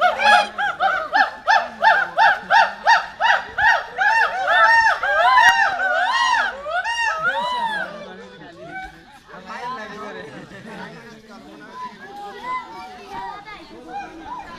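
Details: Rhythmic series of hoolock gibbon whoops, about two per second, rising and falling in pitch and growing louder, then breaking into irregular, overlapping softer calls.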